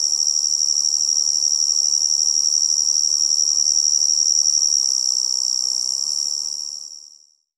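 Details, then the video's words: A tree cricket's constant high, ringing trill runs evenly for about six seconds, then fades smoothly to silence, accompanied by a quiet low hiss. "Tree Cricket Sound"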